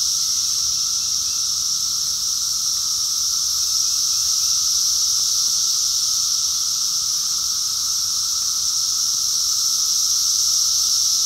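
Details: Brood X periodical cicadas in 2021, near peak numbers, fill the air with a steady, high, ringing drone from countless calling males, as loud as a jet airplane.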